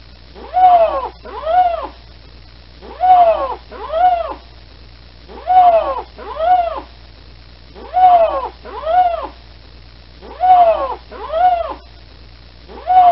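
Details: Lynxes calling to each other (the exact lynx species or bobcat is not stated) give paired, rising-then-falling, harmonic-rich cat-like yowls, each pair about a second long and repeated about every two and a half seconds, against a faint low hum.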